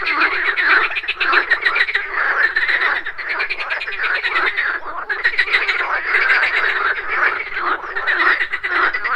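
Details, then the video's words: Continuous morning chorus of frogs at a pond: overlapping rapid, grating croaks from many callers, rising and falling in loudness without a break. "MORNING FROG POND - Nature of Relaxation, Nature Sounds, Frogs Croaking, Pond Sounds"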